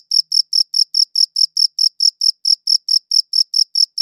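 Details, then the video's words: Shrill cricket chirps, recorded with a quality audio recorder, follow one another in a quick regular train of brief bright pulses separated by clean silent gaps; nothing else is audible. "Cricket Chirping Sounds"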